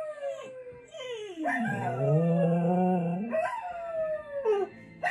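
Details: Archie, a four-year-old Scottish Terrier from south London, howls for his birthday: long wavering tonal notes that slide down then swell, with a deeper rising howl in the middle, plus background music.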